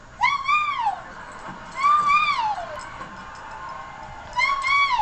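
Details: Silky terrier howling indoors, three drawn-out arching howls with rich overtones, each rising then sliding down, separated by quiet gaps of about a second.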